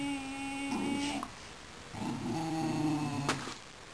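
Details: A pack of six Basenjis, just fed a quarter of a cow in summer 2007, gnaw meat bones while lying piled together. One gives two bouts of wavering, nasal whining, each with a slight yodel-like rise and fall.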